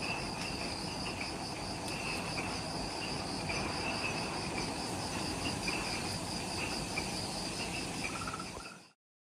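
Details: Insects in the jungle of Ishigaki Island, Okinawa, Japan, at the Omoto-dake trailhead, recorded at twilight just after sunset: steady layered trilling chorus with continuous high pulsing bands, over a dense low rumbling background noise.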